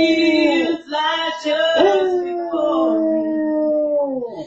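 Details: Basset Hound Sir Bentley Franklin Ruhn belts out a howl while perched on a recliner, joining his owner's singing, recorded indoors on a nest cam; drawn-out harmonic wails with short breaks and gently falling pitch at the end.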